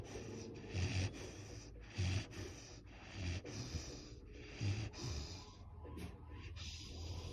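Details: Great Dane. A sleeping Great Dane gives deep, throaty snores, each a soft rumble followed by a breathy pause. The snores come roughly once a second and vary in strength over a faint steady hiss.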